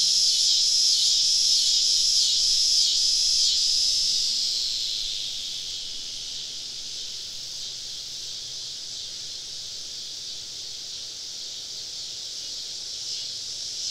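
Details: Many cicadas around a woodland campsite on a southern summer evening; a loud pulsing buzz throbs about twice a second for four seconds, then fades into a softer continuous high drone of the wider chorus.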